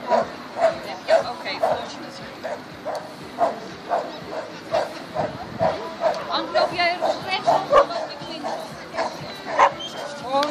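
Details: Xcell, a Border Collie competing in agility at the Border Collie Classic 2016, barks excitedly in a rapid, uneven stream, roughly two per second, while people talk and call out in the background.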